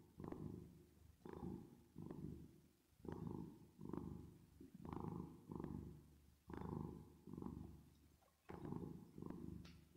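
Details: Domestic cat purring while resting and sleeping, with added reverb. A deep, rumbling purr swells and fades in steady pulses about every second and a half, following the cat's breaths in and out. No other sounds are heard.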